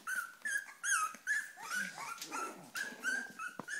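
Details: Cavalier King Charles Spaniels, impatient for their food, give short high whines in quick succession, each a thin clear note, some bending up or down, with small gaps and scrabbling between them.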